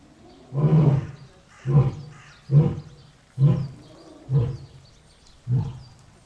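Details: Lion roaring in a run of six short, deep grunting bursts, about one per second, each fading quickly, with faint background noise between them.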